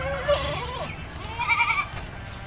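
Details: Village goat being bathed in the countryside, giving a short wavering, nasal bleat early on, then a second, higher and longer bleat midway, over a low rumbling background.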